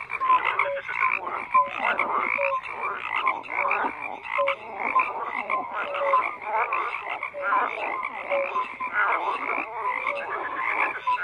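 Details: Overlapping frog croaks form a steady, grating chorus, punctuated by short tonal pips and clicks that repeat in irregular bursts.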